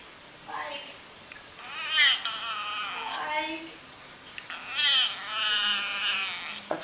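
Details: Domestic cat making odd noises: two drawn-out, arching meows with a rising then falling bend, each about a second long, separated by quieter stretches with faint human speech in the background.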